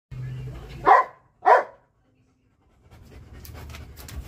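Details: Belgian Malinois barking at a cat: two short, sharp barks about half a second apart, followed by quiet, then faint rustling and low background noise.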